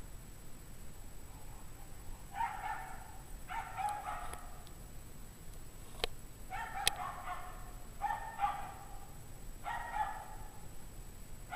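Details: Pack of apparently unhappy dogs barking at 5:00 PM on January 9, 2009, in 17°F cold, with the trigger unknown. Distant bursts of hoarse barks come in clusters every one to two seconds over steady background hiss.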